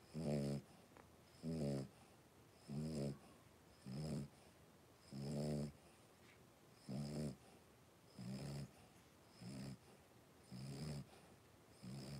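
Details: Three-week-old blenheim Cavalier King Charles Spaniel puppies, a litter of five, indoors; rhythmic nasal, grunting snore sounds with rich low harmonics, about one per second, some louder and longer, over faint steady background hiss.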